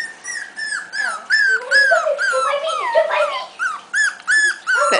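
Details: Five-week-old Havanese puppies from the litter of Bella and Dominique, indoors, let out a rapid run of high, harmonic whining yelps, each falling slightly in pitch, overlapping and irregular, with a lower faint whine underneath.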